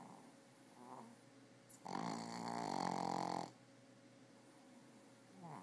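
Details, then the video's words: Sleeping female dog snoring: one loud, rough, buzzing snore lasting nearly two seconds, framed by quieter breathing rasps before and after. "Dog snoring הכלבה הנוחרת"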